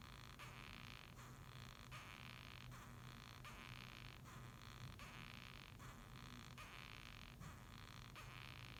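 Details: Japanese rhinoceros beetle calling with gritty, scraping squeaks, "gyui gyui gyu gyu", evenly spaced at about 0.7-second intervals, each burst lasting over half a second, over a faint background hum.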